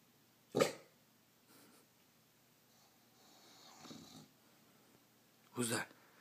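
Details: An English bulldog, a male, gives two short, gruff barks a few seconds apart at his own reflection in a mirror while a person asks what's wrong.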